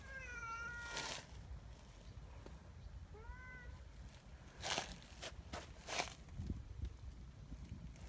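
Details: Large, sweet-natured black neighbourhood cat outdoors, nibbling a person's hand again and again; an opening meow that rises then falls, a shorter second meow, then rustling and knocking handling noises over low rumble.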